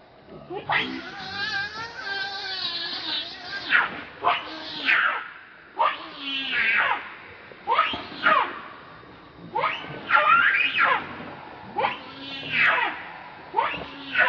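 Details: Rainbow the monkey, very angry while protecting Lucie from Kachoy, gives loud, harsh, wavering screams in repeated bursts about every one to two seconds. Some bursts are long and trembling, others short and sharply rising.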